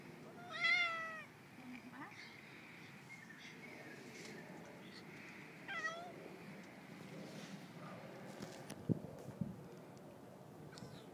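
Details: Friendly male neighbour's cat, tail looking like a raccoon's, meowing while being fed with its owners away: one loud, drawn-out meow rising then falling early on, a few softer short meows after, a sharp clatter near the end, quiet indoor room.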